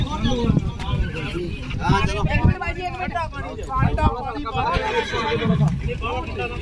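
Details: Filly foal caught by the leg in a vehicle during unloading through the owner's carelessness, giving repeated shaky, tremulous whinnies throughout, mixed with loud human speech and hoof knocks.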